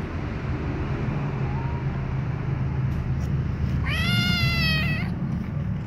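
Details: As its mother licks the baby cats, a white kitten lets out one loud, clear meow lasting about a second, sliding up then gently down, against a constant low background rumble and a faint earlier squeak.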